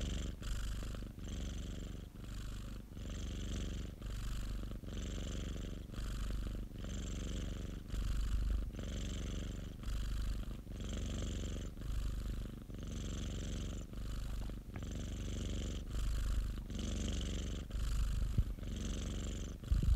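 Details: Popo, a pet cat, purring steadily: a deep, rumbling low drone that swells and eases with each breath, about every two seconds, with a faint hiss riding on each exhale.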